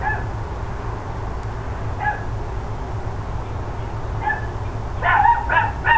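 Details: Dogs next door barking mid-morning, 13 October 2012: scattered lone barks, then a rapid cluster of louder barks near the end, over a constant low rumbling background.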